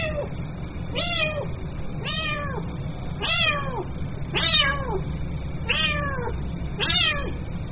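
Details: Kitten calling its mother: a series of seven high, arched meows, each rising then falling with rich harmonics, spaced about one second apart over a steady low hum.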